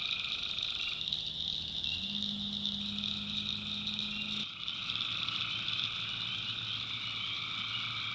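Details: Tree frogs calling at night in a swamp in the backwoods of North Carolina: a steady chorus of droning, banded trills that shift in pitch, over a constant high insect buzz, with a low steady hum and a brief break midway.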